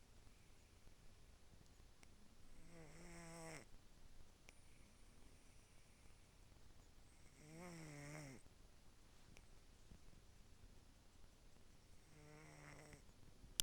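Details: A cat sleeping soundly and snoring softly: three faint, buzzy, rasping breaths about every five seconds, each a brief wavering rumble, with near silence between them.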